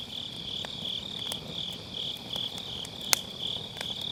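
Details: Grass insects keep up a continuous, thin high trill on an autumn night by a round fire pit, MKE600 microphone; the firewood crackles softly, with one loud sharp crack near the end.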